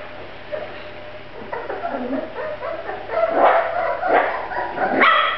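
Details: Grand Basset Griffon Vendéen puppies: quiet at first, then rising yelps and whiny yips that grow louder toward the end, several short cries overlapping in an irregular series.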